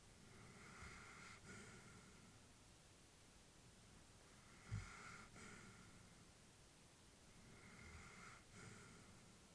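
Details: An elderly female Labrador Retriever asleep, breathing softly and evenly; three slow, breathy exhalations with a faint hiss arrive roughly every three and a half seconds against a quiet room hush.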